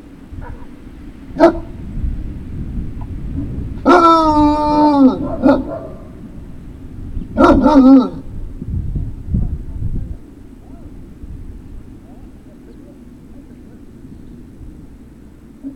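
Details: Great Dane puppies at Puppy Hill, recorded 03-06-2019 in the afternoon: a single sharp bark, then a drawn-out harmonic howling whine lasting about a second, followed by a short burst of yelping barks, with a steady low background hum.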